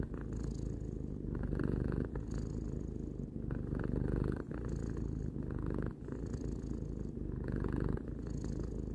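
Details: Relaxed purring of a three-year-old pet cat indoors, a rumbling, grainy low buzz repeating in long breath cycles around every two seconds, with short pauses as the cat breathes in.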